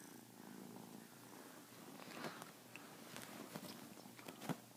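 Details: Kitten at play, pouncing on a blanket covering a hand, gives a continuous low rumbling purr, broken by sharp scratching and thumping of claws on cloth that grows busier toward the end.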